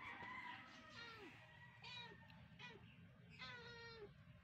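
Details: Domestic cat sounds during play time with a rescued cat named Bunso and her babies; a run of short, clear mews, several sliding downward at the end, follows one another over a low steady hum.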